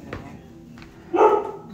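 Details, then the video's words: Family dog barking at home while a mother cat and her kittens are being soothed: one short, gruff bark near the end, after a quiet stretch with faint background noise. "sorry Mama it's okay oh our dog is barking"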